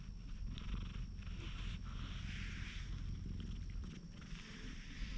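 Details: Calm stray cat lounging in the sun while being stroked, recorded outdoors in Japan with a GoPro HERO8: a steady, deep, fluttering purr runs throughout beneath light rustling of fur and hands.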